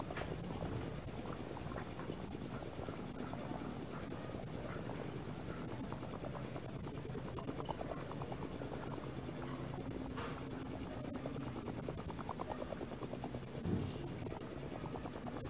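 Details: Chorus of male crickets calling from dusk until dawn, a shrill high-pitched pulsing drone that never pauses, the rapid chirps blending into one steady ringing wall of sound over quiet low rumbles.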